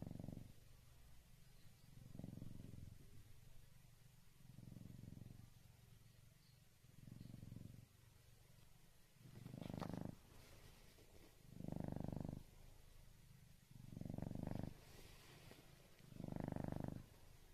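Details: Gajira, a rescued black-and-white tuxedo cat, snores while sleeping; low, rough breaths swell and fade roughly every two and a half seconds, growing louder toward the end, with a faint room hiss between them.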